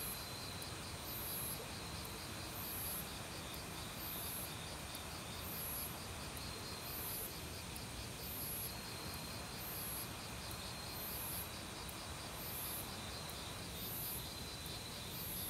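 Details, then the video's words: Autumn crickets in a forest, calling loudly alongside various other insects beside a mountain stream; a steady high pulsed trill runs throughout, with sharper high chirps repeating about once a second over the constant rush of flowing water. "가을 귀뚜라미 소리"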